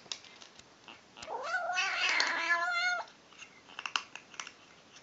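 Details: Female kitten making funny noises while eating: one drawn-out, wavering, harmonic cry of nearly two seconds that swells and bends in pitch, framed by soft clicks and smacks of eating in a small room.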